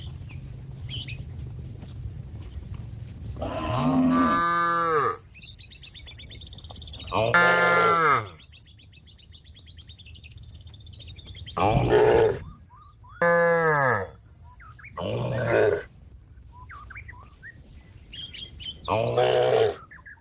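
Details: Cattle calling a companion that is grazing on grass to come home to the shed; a series of long harmonic moos, about six over twenty seconds, rising and falling, with bird chirps and whistles faintly in the background.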